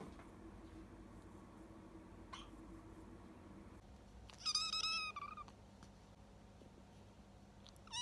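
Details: Young rescued kitten, abandoned and found in late September, making its odd hunger cry: one drawn-out, wavering mew with a falling end, followed by a shorter mew, in a quiet indoor room with low hum.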